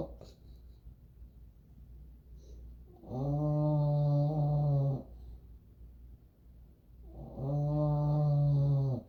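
An English Bulldog snores in a low, buzzy rumble with a rich stack of overtones. Each snore lasts roughly two seconds, with quiet breathing gaps of about two seconds between them.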